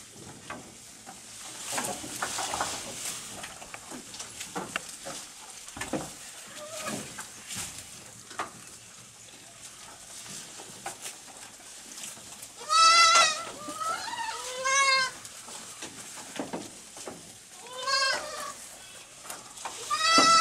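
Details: Small goats eating food very fast in the evening on a goat farm; steady crunchy munching and rustling, then loud wavering bleats near the end, four of them, each under a second, quavering and harmonic.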